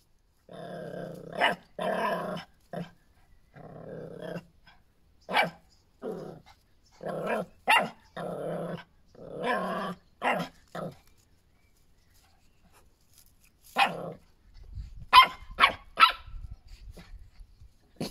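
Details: Miniature Schnauzer giving rough, buzzy growls in bursts of one to two seconds, broken by sharp barks, with a few higher yelps and a scuffling noise near the end.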